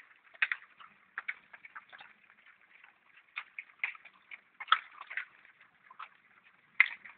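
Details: Wild boar fed acorns chew and smack, with irregular wet clicks and crunches as they eat and enjoy the food.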